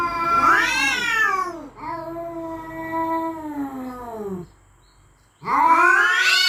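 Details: Territorial cats threatening each other at night: a loud rising, wavering yowl, then a long, falling, drawn-out moan, a brief silence, and a fresh harsh yowl climbing at the end.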